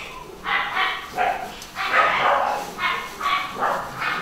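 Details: Westie puppies from a newly born, home-bred pedigree litter at UK breeders give a run of short, high yapping barks, about seven bright bursts within four seconds, some running into each other, over a quiet indoor background.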